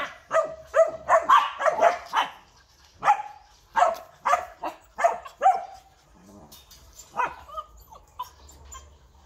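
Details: Purebred Rottweiler of a large line, kept at a kennel in Vietnam, barking in quick clustered bursts that grow sparser and quieter, ending in a few faint yelps.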